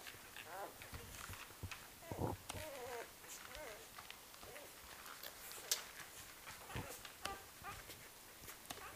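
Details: Litter of four-day-old Great Pyrenees puppies on Halloween night: short wavering squeaks and whimpers at intervals, mixed with soft clicks, shuffling and handling noises.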